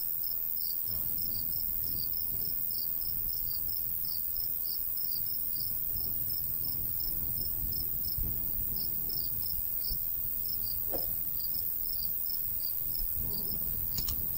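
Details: Countryside crickets in summer by a golden wheat field keep up a bright, pulsing chirp chorus with short gaps, against gentle low wind and a couple of sharp brief clicks near the end.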